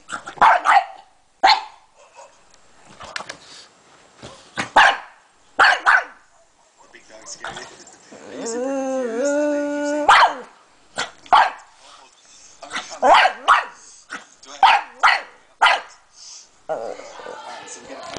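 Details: Pug barking and attacking a laptop: a series of sharp, short barks in bursts, broken by a long whining, wavering howl in the middle, then more rapid barks, with a person talking.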